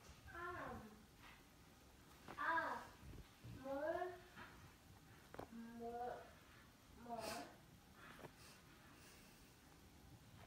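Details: Kitten tucked inside a sleeper, giving about five separate mews over ten seconds, each a short harmonic cry that bends up then falls, with quiet room sounds between.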